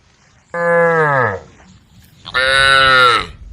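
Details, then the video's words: Two strong moos from tame female cows on a road calling their herd, the first steady and falling at its end, the second louder and brighter, about a second apart. "a group of tame female cows on the road, the sound of cows calling the herd"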